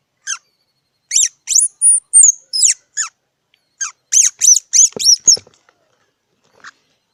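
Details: A squirrel giving sharp, high squeaky chips, some with downward sweeps. They come in two quick bursts of about six notes each, separated by a short pause, with a faint single note at the end. The background is quiet.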